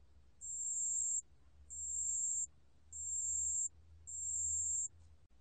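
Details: Pale bell cricket song recorded in 2020: four evenly spaced, piercing, high, pure ringing trills about 0.8 seconds each, regular pauses between, with a slight low background drone.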